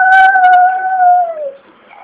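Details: Small Chihuahua Benji crying indoors after his owner or grandma has gone out: a sustained, pure, even-pitched wail lasting over a second before it drops in a smooth downward glide and trails away into quiet.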